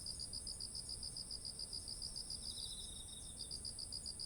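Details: Autumn insects singing beside ripe, heavy rice fields, recorded on a ZOOM H1essential: rapid, evenly pulsed high chirping over a steady shrill ringing hum, with a softer lower trill joining briefly midway.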